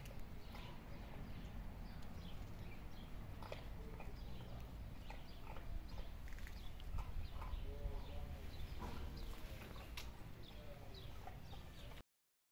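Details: Eleven hungry stray cats meowing for food all at once: many short, overlapping, arching meows in a continuous chorus over a steady low rumble and scattered clicks.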